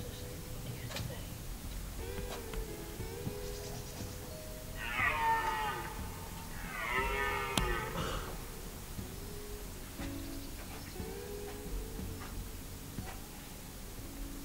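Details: Red deer roaring during the rut at De Hoge Veluwe, Netherlands, on 23 September 2010: drawn-out, hoarse, harmonic bellows rising and falling, two loud strained roars in the middle, with shorter moaning calls around them.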